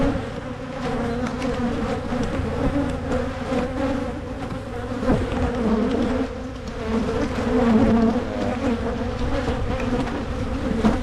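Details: Honey bee colony hum at hives being split in Michigan to prevent swarming: a dense, steady buzzing with a low drone and a brighter mid tone, swelling and easing in loudness, with occasional knocks of hive handling.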